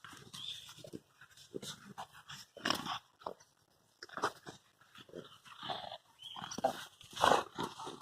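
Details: Presa Canario puppies, 100 days old, from the Granada do Toxo Galego x Iron Valle del Presa litter, playing together: short bursts of rough growls and yelping cries between quieter pauses, with scuffling sounds throughout.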